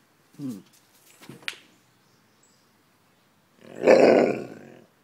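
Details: Indoor Alaskan Malamute, aged one year ten months, displeased by the camera: a short high squeak and scuffling, then after a pause one loud, rough, roaring grumble lasting about a second.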